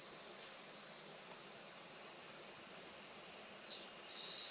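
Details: Cicadas in full song on a traditional farm in Saitama, Japan, around 11:30 am on a sunny 20 July 2024: steady shrill buzzing drone, with one voice dipping slightly lower toward the end.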